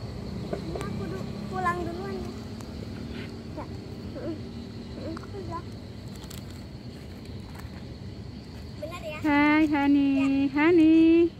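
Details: Cat producing loud, drawn-out meows with a slight waver near the end, preceded by quieter mews under a person talking; outdoor background with low traffic hum.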